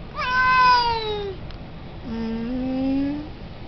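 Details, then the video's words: Male Siamese cat, very vocal and wanting to go out and play, utters a loud descending meow, a short pause, then a lower, longer, slightly rising wail. "Siamese cat meow meow voice"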